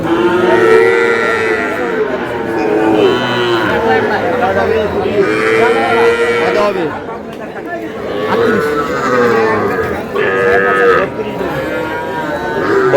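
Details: Sahiwal breed bull calf bought by a farmer in Brahmanbaria, 20 May: layered, harmonic-rich mooing from cattle rises and falls over the 13 seconds, mixed with steady human chatter in the background.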